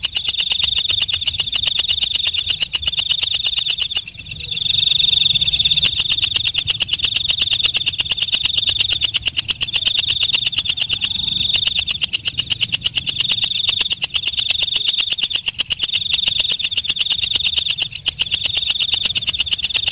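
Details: Night katydid known as walang kecek, steady high shrilling broken into loud buzzy phrases about two seconds long, each run through with quick ticking pulses, continuing without pause.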